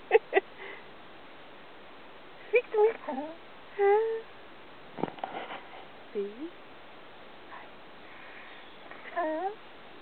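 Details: Robbie, an Australian Cattle Dog learning to speak on command, answers with curved, wavering whines and yodel-like vocal bends between a person's encouraging words and praise.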